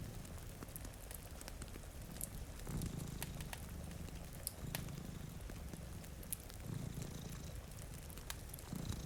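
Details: Domestic cat asleep before a rainy window, one of two by a crackling fire, gives a soft low purr that rises in faint breath-paced swells beneath frequent fire pops and rain.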